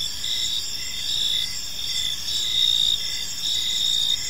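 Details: Short stretch of cricket chirping from a park in the evening: shrill continuous trilling with gentle swells in volume, several overlapping high tones, and quiet low ambient noise underneath.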